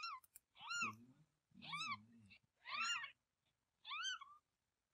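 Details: Pregnant mother cat about to give birth, holding her kitten; she later bore six. Four loud arched meows at roughly one-second spacing, with low murmuring voices under the first three.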